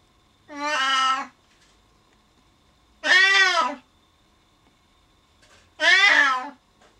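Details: Male Siamese cat meowing loudly indoors after being left alone behind a door when a family member goes downstairs; three long, loud, harmonic meows roughly every two and a half seconds, each bending slightly downward at the end.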